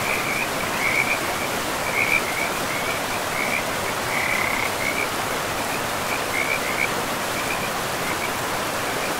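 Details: Frogs calling beside a river in a forest, a string of short chirping notes near one pitch, repeated in bursts over a steady broad rush of flowing water.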